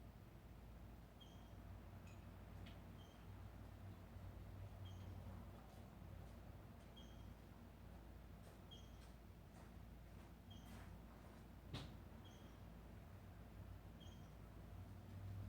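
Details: A small squirrel calling intensely outdoors, giving short clear high chirps repeated roughly every second in an irregular series, with faint clicks and a low steady hum underneath.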